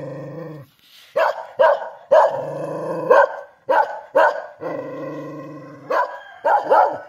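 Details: Kintamani dog from Bangli, Bali, alternating low rumbling growls with sharp, harsh barks, about eight barks in bursts between two longer growls.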